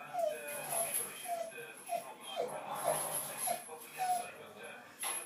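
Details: Two Staffordshire bull terriers, aged 19 months and 9 months, playing and dancing: short, thin, whining yips and whimpers come about once a second, mixed with a person's quiet voice.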